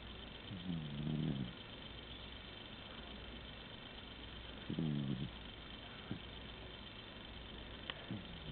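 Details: Asleep indoors, the pet cat Tigger snores loudly: two low, rattling, harmonic snores about four seconds apart, with small snuffles between and a faint steady hum throughout.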